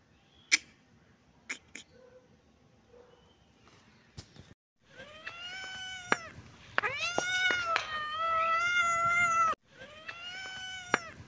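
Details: A kitten and cat at play in a happy mood: a few sharp knocks and taps, then long, drawn-out meows rich in overtones, each rising briefly before holding steady, several in a row, loud and close.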